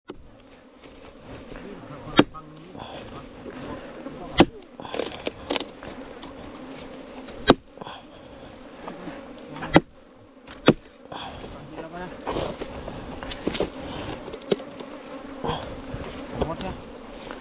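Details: Honey bees from a nest inside a 4-metre-long bamboo stem: a steady, low droning hum runs throughout, broken by sharp knocks every couple of seconds, with faint human voices and handling noise.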